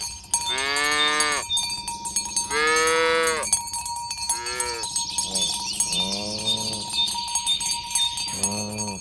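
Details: Morning herding of village cows toward the pen, with mooing that calls the group together; several separate moos of varied pitch from more than one animal amid busy cowbell clanking.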